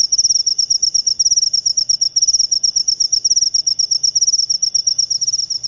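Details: Loud, close cricket of the jangkrik upo type, producing rapid rhythmic chirps, each a tight burst of metallic clicks, repeated in an even, unbroken series.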